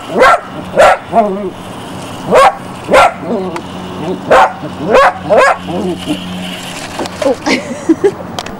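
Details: Jessy, a Border Collie puppy in Barsbüttel near Hamburg, January 1994, barks in a fast, excited run of about a dozen short, high yapping barks and yips over eight seconds, with a low background hum.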